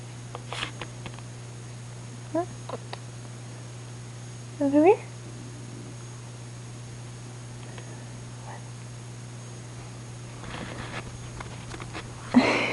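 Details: Pet cat named Rain, indoors late at night around 11:30, gives one short rising meow halfway through; soft rustles before it and a person's voice at the end.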